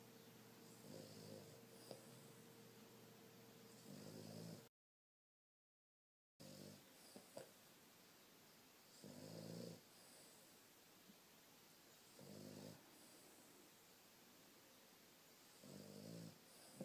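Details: Sleeping Boston Terrier snoring indoors while dreaming, recorded on a phone and very loud in person: low, harmonic rasping snores about a second long, roughly every three seconds, with a brief silent gap early on and a faint steady background hiss.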